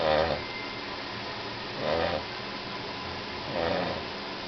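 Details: Charlie, a heavy dog asleep after a walk, gives three short raspy snores about every two seconds, each a brief nasal rumble with a slight whistling edge over a quiet indoor background.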